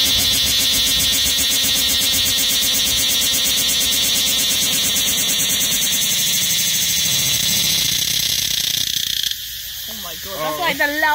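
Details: Loud insect giving a continuous high-pitched, faintly pulsing whine for about nine seconds that then cuts off abruptly, leaving human speech and quieter background noise.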